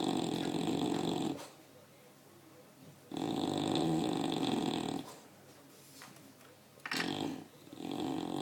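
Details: An English Bulldog named Kimmie, a little tired, snores loudly, each rough rattling breath followed by a quiet pause.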